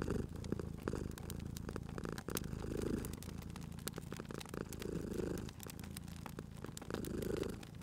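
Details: Low, continuous purr of a sleeping house cat beside a fireplace, rising and falling in slow waves every two seconds or so, while snapping, popping firewood crackles throughout.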